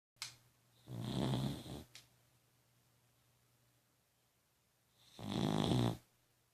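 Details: Dog snoring indoors: two long, rasping inhaled snores, each about a second long, separated by a quiet pause of several seconds, with a steady low hum underneath.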